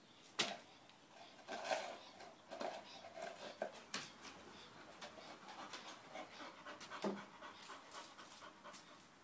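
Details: An English bull terrier, said to be uncontrollable, pants steadily and rapidly throughout, with scattered thumps and a short low whine partway through.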